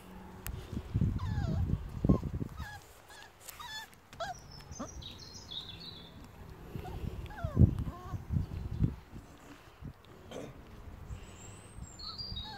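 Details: Rhodesian Ridgeback puppies from the A litter on their 31st day, giving brief thin whimpers that bend up and down in pitch, scattered singly and in small bursts, over low rustling thumps, with small birds chirping high in the background.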